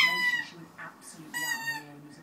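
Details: Pet husky talking to his toy duck each time he squeaks it: low, drawn-out moaning voice running beneath two loud, shrill squeaks of the rubber duck, indoors.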